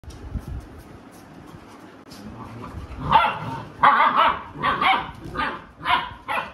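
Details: Labrador Retriever named Alexa, a mother dog disciplining her unruly puppies, gives a run of sharp, loud barks at irregular intervals after about three seconds of low growling and rustling.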